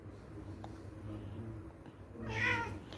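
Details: Domestic cat giving a single meow near the end, a short bright call after about two seconds of low rumbling background noise.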